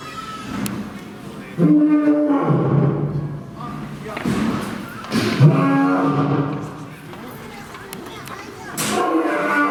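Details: Chachamaru, a male lion at Fukuoka City Zoo in Japan, filmed around September 2021, gives deep, loud, harmonic roars in two main bursts several seconds apart, with low grunting between them and visitor voices behind.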